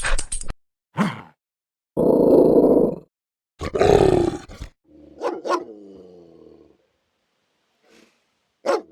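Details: Dog giving fierce warning growls and protective vocalizations: a loud rough growl lasting about a second, another harsh growl, then a softer rumbling growl broken by sharp barks, with silent gaps between.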